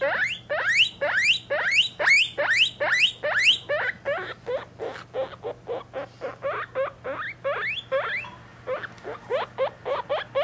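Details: Pet guinea pigs, three-week-old young with their mother, giving shrill rising whistles in a fast series, loudest early on, then softer shorter squeaks continuing steadily against a low background hum.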